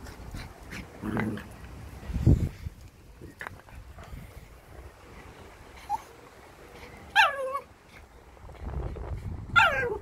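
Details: Jack Russell and Malinois dogs meeting: scattered low thuds and scuffles, then two loud, high, drawn-out yelping cries that slide downward, the second near the end.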